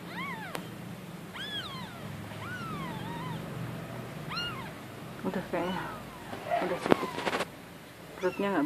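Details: Spoon-fed newborn female kitten, a wild stray unable to nurse from her mother, calls with a run of high, bent meows early on, followed by clattering handling noises, quieter meows and human voices.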